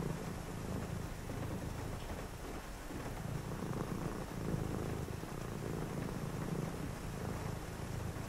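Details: On a rainy night, a cat beside someone reading gives a deep continuous purr, a buzzy low rumble with one short breath gap near the middle, backed by steady rainfall.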